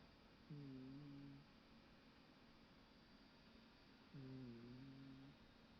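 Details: A Scottish Fold cat sleeping on a sofa snores in a slow rhythm, each low, buzzy rumble lasting about a second, dipping slightly in pitch, roughly every three and a half seconds over a faint room hum.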